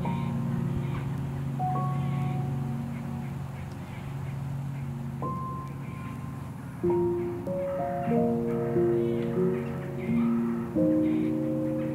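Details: Gentle piano-like music with sustained notes over a steady low hum, and no animal voice heard.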